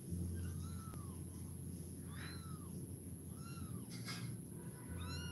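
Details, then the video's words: Kitten meowing several times, short high arched cries spaced a second or more apart over a steady low hum and background noise. "cute cat Kitten meowing"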